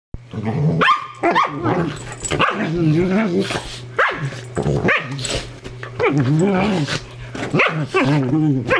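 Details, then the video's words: Two dogs, Willow the sheltie and Jade the Dingo Ridgeback, horse playing together as they do every night; loud, continuous play growling with wavering, harmonic-rich snarls and short barky bursts, a steady low hum underneath. "Willow (the sheltie) & Jade (Dingo Ridgeback) Horse Playing!"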